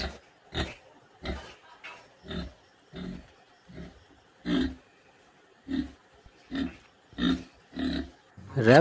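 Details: A domestic pig gives short, rough, low grunts in a steady series, roughly one every two-thirds of a second.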